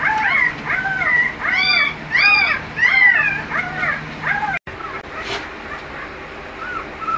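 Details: American Bully dogs at a breeding kennel, giving high, arching whimpers and yelps in quick bursts, loudest during the first three seconds, then fading to a few quieter whines.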